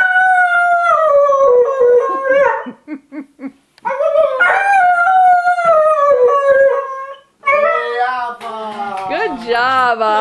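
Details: Avva, an Airedale Terrier, sings in drawn-out mournful howls that slide downward, with short choppy yelps between phrases; a higher wavering voice joins near the end.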